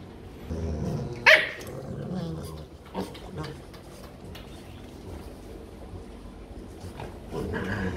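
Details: Rottweiler from a group of pet dogs given a playful makeup session: one sharp, loud bark early on, then quieter scattered sounds and rustling with soft background noise.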